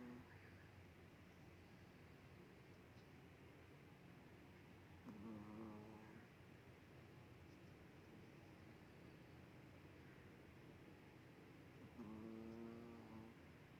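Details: A sleeping dog, apparently named Brownie, snoring indoors: two drawn-out, low, buzzy harmonic breaths about seven seconds apart, with a steady quiet background hiss between them.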